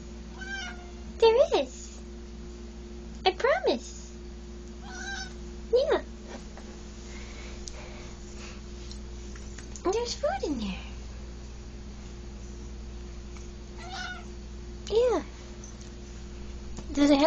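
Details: Indoor house cat begging for food in a dark hallway while her bowl still holds some; short, downward-sliding meows come every few seconds, about six in all, between a woman's coaxing speech and steady hum.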